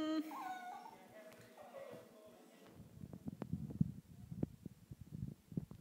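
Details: An 11-week-old female Pembroke Welsh Corgi gives a short, wavering howl that slides up and then down in pitch, mimicking her owner's whining or howling.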